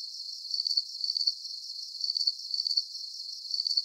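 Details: High, trilling cricket chirps in a relaxing sleep recording, fast pulse bursts coming in uneven clusters across a few seconds, with brief pauses between groups and a soft hiss beneath.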